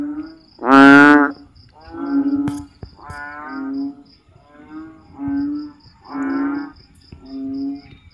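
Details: Frog chorus on a rainy-season night in the Philippines, after heavy rain fills backyard ditches and swales; one very loud, harsh honk opens, then lower moo-like croaks repeat roughly every second, with faint insect ticking steady behind.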